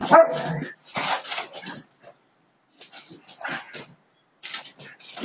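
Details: Siberian Huskies play-fighting: a harsh bark-like yelp opens, then choppy growls and snarls in short bursts separated by brief silences.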